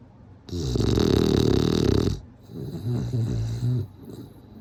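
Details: Sleeping bulldog snoring: a loud, rough, low rumbling snore lasting about a second and a half, then a quieter, shorter snoring breath, both with a buzzy, rattling texture indoors.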